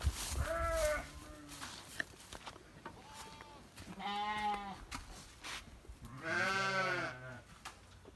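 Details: Elite Santa Inês sheep bleating: three wavering, nasal bleats of about a second each, spaced several seconds apart, while a handler gives short spoken commands nearby.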